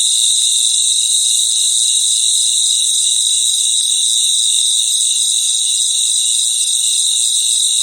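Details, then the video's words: Many crickets calling together at night in their environment, producing a bright, continuous shrill trill with subtle rhythmic pulsing in the lower band and a hissing upper layer, uniform throughout with no other noises. "Sounds of Cricket | Relaxing Sounds of Crickets"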